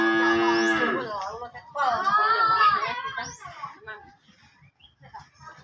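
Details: Aggressive cow let out of its pen and back in, bellowing a loud harmonic moo that breaks into a rough, wavering second call, followed by fainter grunts and low background voices.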